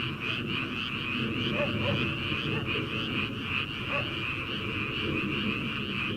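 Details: Many frogs calling together in a rice paddy at the start of summer, ahead of rice planting; a thick, rapidly pulsed croaking chorus that keeps an even loudness throughout, over soft low rumble.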